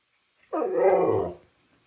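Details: Siberian husky shouting at its owner indoors: a single drawn-out, throaty vocal grumble lasting under a second, rising then fading, with no other sounds.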